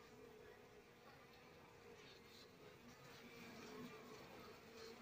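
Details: Asian honey bees, Apis cerana, from a wild colony whose comb is being handled during a move to a hive box: a steady low droning hum with a faint even tone beneath it, no speech over the buzzing.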